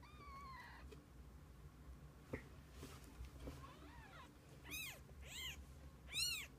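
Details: Kittens with their mother cat, spending the day together indoors; a faint steady tone at first, then three high, arching meows in quick succession near the end over a low background hum.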